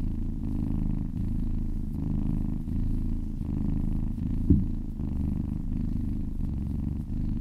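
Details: Purring of a relaxed cat under massage: steady low vibrating drone rising and falling with breathing, with one short soft bump midway.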